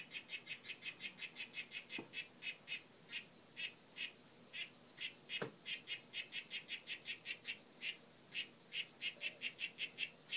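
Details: Group of Whitefoot harlequin poison frogs, Oophaga histrionica, courting and displaying; bursts of quick buzzy chirps come in runs separated by short pauses, with two sharp knocks partway through.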